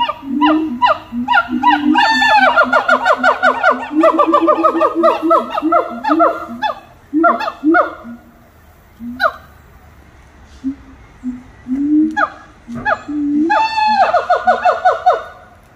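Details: A dense, excited chorus of monkeys at Little Rock Zoo: rapid quavering hoots and swooping harmonic whoops tumble over one another, overlapping voices, a brief lull of scattered notes, then another rush of fast rising calls.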